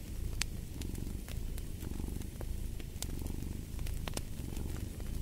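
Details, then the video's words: A cat's deep, even purr fills the low end, pulsing softly with each breath, while a nearby fire crackles and snaps in quick, irregular bursts. "Fall asleep to the Purring of a Cat"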